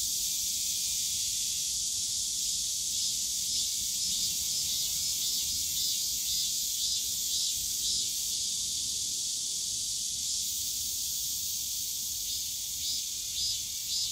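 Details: Cicadas in the bamboo grove of Yongsan Family Park on a summer day, a loud layered high buzz with rhythmic pulsing from several callers, soft background park hum.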